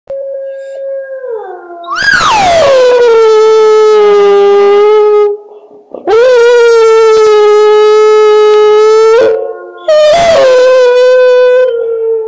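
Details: A hound dog howling at wolves, in the mountains of Transylvania, gives three long, steady howls, each sliding up sharply before holding a mournful, even pitch.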